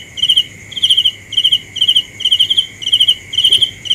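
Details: Rhythmic cricket chirps: eight quick, trilled high pulses at an even pace, set against an unbroken high-pitched insect whine and faint low background hum.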